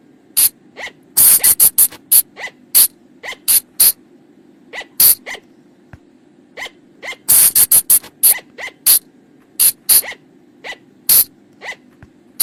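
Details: Night-time forest lure calls of the flying lemur: rapid trains of sharp, rasping, noisy bursts, sometimes in tight groups of three to five, with quiet gaps and a faint continuous low drone behind.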